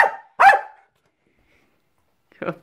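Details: Milo, a trick-performing Jack Russell terrier, barks once sharply after a fainter lead-in, followed by a short soft noise near the end.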